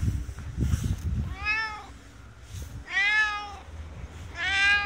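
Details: Friendly resident cat of a ski shop in Hirafu Village, Hokkaido, Japan, giving three clear, warm meows, each rising then falling with rich harmonics, about a second apart, after some low rustling and handling noise at the start.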